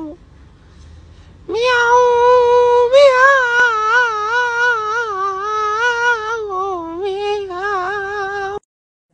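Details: Domestic cat uttering a long, loud, wavering meow lasting about seven seconds, the pitch stepping up early then undulating gently before a brief break and a final shorter drawn-out note, in a quiet setting.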